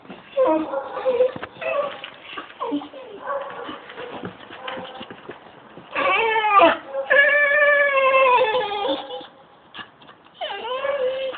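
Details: Pet dog singing, recorded on a phone: short whining yelps early, then long wavering harmonic howls that rise and fall for several seconds, with a person speaking at times.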